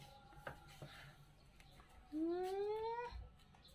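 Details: A playful kitten lets out one upward-sliding meow, smooth and tonal, rising steadily for nearly a second, preceded by faint taps and soft background rustle.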